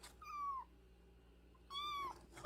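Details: Nursing kitten under a month old, found crying at a house gate and brought indoors, gives two clear descending meows about a second apart in a small room, with quiet background hum.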